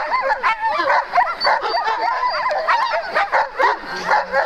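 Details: Alaskan malamute sled teams at the start line on the second day of Metsäkartano Sprint, 4 March 2012: a dense, restless chorus of high yelps, whines and short barks from many dogs, overlapping almost continuously.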